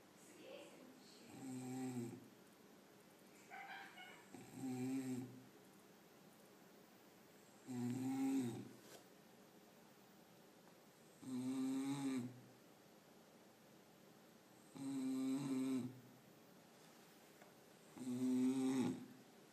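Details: A sleeping dog snoring: six rough, droning snores, each lasting about a second with a low buzzy tone, repeating roughly every three seconds, separated by quiet pauses.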